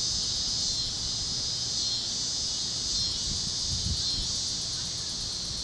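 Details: Evening cicada chorus above Kansas fields at sunset, warm great-plains air; a continuous buzzy hiss rises and falls in slow swells, with a few soft low thumps late on.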